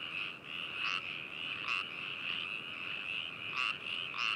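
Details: Frogs at Hakushu, Hokuto City, Yamanashi, Japan, recorded binaurally 4 May 2018: a steady trilling chorus with several louder, harsher croaks from nearer frogs standing out at intervals.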